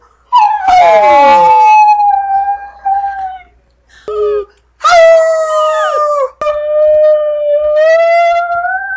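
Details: A brindle Chihuahua, a male house pet, attempts to say "I love you" back to his owner. He makes several drawn-out, tremulous howls with pitch bending up and down, separated by short breaths and yelps.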